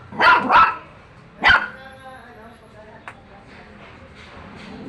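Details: Domestic dog with a quick pair of barks, a single louder bark a second later, then mostly quiet background with faint clicks.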